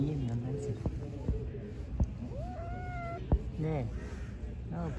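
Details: Cat and kitten during a mating attempt, a stray-cat scene: a drawn-out wavering meow with clear upper tones, then shorter bent meows, over steady low background hum and a few sharp knocks.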